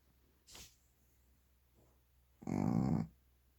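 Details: Sleeping Shih Tzu snoring: a faint short snuffle followed by one loud, harsh rattling snore lasting about half a second, in a quiet room.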